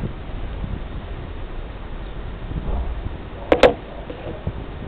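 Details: Low background rumble with a pair of sharp knocking clicks near the end; no animal voice is heard.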